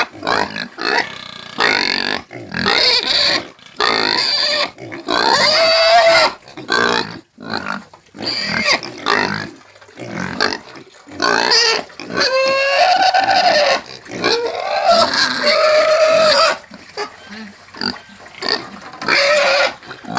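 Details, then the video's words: Pig squealing and screaming in many short and longer harsh bursts, some rising in pitch, with brief quiet pauses between. "SOM DE PORCO CAIPIRA - SOM DE PORCO - SOM DE PORCO GRITANDO EFEITOS SONOROS DE PORCO – PIG SOUNDS"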